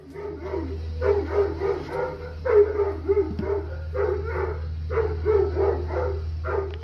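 A Plott Hound gives deep, throaty barks in short, bawling bursts, repeated every second or so.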